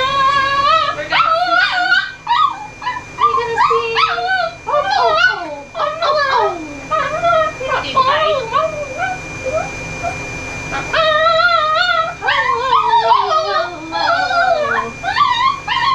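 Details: Very vocal dog during grooming in Oklahoma, USA; near-constant wavering whines, yips and howl-like moans rising and falling, some sliding down in pitch, with a steady electrical hum in the background.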